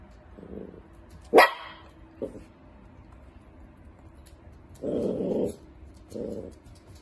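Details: Playing dachshund, a sausage dog, mixes short low growls with one loud sharp bark near the start, followed by longer grumbling growls in bursts toward the end.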